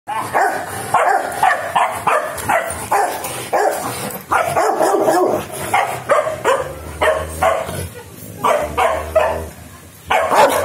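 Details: Rottweiler puppies, four of them, at the start of their training, barking and yipping in quick overlapping bursts. Sharp, high barks come in dense volleys with brief quieter gaps, and a low hum runs underneath.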